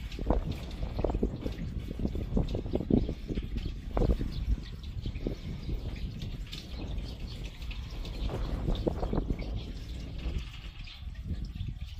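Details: Only low rumbling background noise with irregular trickling, dripping water-like sounds is heard, with no animal voice.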